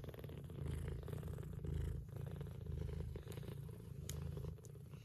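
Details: Purring mother cat, Scottish straight and lop-eared, nursing her kittens; close, loud low purr rising and falling over several breaths, with a few brief clicks from suckling kittens.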